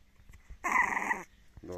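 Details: A merle French Bulldog puppy, coaxed to bark, lets out a single harsh, drawn-out bark of indignation.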